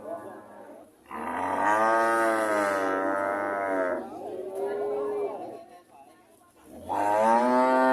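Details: Cow mooing with a long, steady, harmonic moo of about three seconds, then a softer lower call and another strong moo starting near the end.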